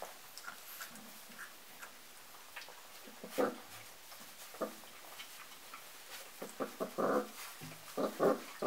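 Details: Four-and-a-half-week-old dark red Golden Retriever puppies give short whimpers and yelps in irregular bursts while eating food, one morning, climbing a ramp up to it; finding: Golden Retriever.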